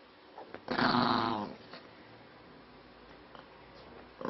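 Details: Maltese dog Spiky, described as angry, lets out one loud, harsh, snarling burst lasting under a second, followed by quiet room noise and faint small sounds.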